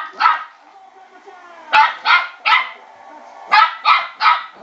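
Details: A West Highland White Terrier puppy about 12 weeks old barks at a spinning bowl, giving high, sharp yapping barks singly and in quick pairs and triplets.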